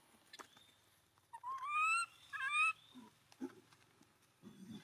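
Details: Two loud, plaintive wails in quick succession from an abandoned monkey crying as it embraces its owner's feet. Both are tonal and wavering, followed by low, muffled sounds and faint background hum.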